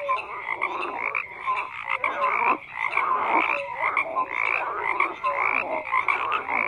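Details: Frogs croaking en masse: a busy, continuous wall of rasping croaks and quick pulsed notes, several callers overlapping at once, with a brief lull near the middle.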